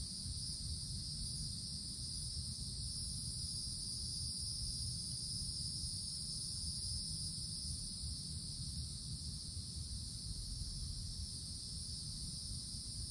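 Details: Cicada chorus heard from a summer forest canopy: an unchanging, piercing electric-like buzz holding steady throughout, with a thinner higher band above. A steady low rumble fills the background.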